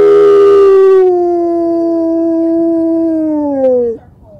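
A red fox gives one long, smooth howl that slides slowly downward over about four seconds.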